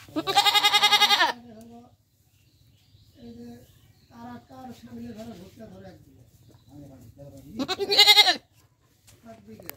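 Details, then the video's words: Goat recorded in Bangladesh: a loud, strained, vibrating bleat opens, then a run of softer short nasal calls, and a second loud wavering bleat near the end, over a faint low hum. "Goat sound 2020 । Best goat sound in the world 2020"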